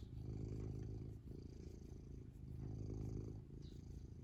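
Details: A happy cat purrs: low, grainy vibrating drone, loud on each breath then briefly easing, about three swells in four seconds, with faint high rustles.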